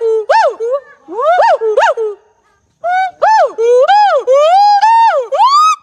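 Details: Siamang giving very loud, rising and falling whooping calls with strong harmonics, repeated in quick succession, making the forest noisy.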